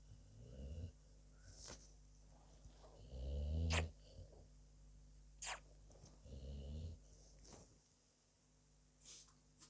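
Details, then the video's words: Dog asleep, giving low rasping snores of uneven length, interspersed with soft clicks and small mouth sounds in a quiet room. "dog my furbaby is Snoring away"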